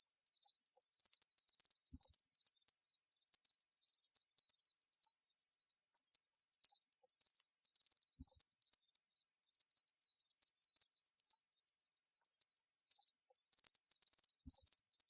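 A locust keeps up a continuous, hissing trill, high and dry, made of fast even pulses. It holds at a steady level throughout, with a faint low thump now and then.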